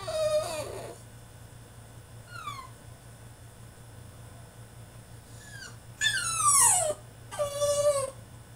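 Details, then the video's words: French Bulldog male throwing a tantrum in his cage: high whining cries sliding downward, short squeal near the start, a lone falling whine mid-clip, then two loud drawn-out descending wails close together at the end; steady low hum underneath. "FRENCH BULLDOG THROWS TANTRUM IN HIS CAGE!!"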